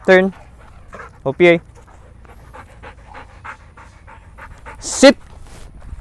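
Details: Belgian Malinois bitch training in the Philippines gives short, sharp barks: one at the start, a quick double bark a second later, then a final bark after a pause, over soft background chatter.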